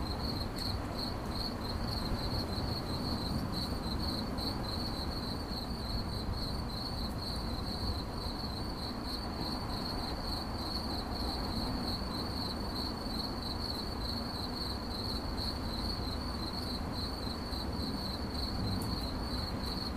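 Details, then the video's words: Cricket chirping, presented as 8D audio for relaxation: a steady high-pitched trill of rapid pulses held without pause for the whole stretch, over a constant low rumble of background noise. "CRICKET CHIRPING"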